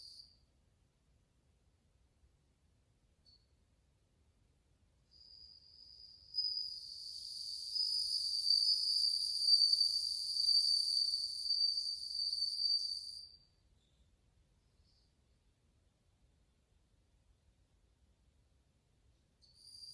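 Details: Bell crickets, many together, recorded August 2020 and said to play cool tones; after quiet, a high ringing trill with overtones rises at five seconds, peaks, then stops near thirteen seconds, with a brief return at the end.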